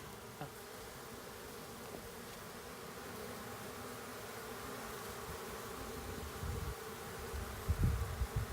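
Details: Western honey bee swarm being captured into a box, a dense steady low hum of many bees with faint higher drone, brief handling knocks and thumps near the end.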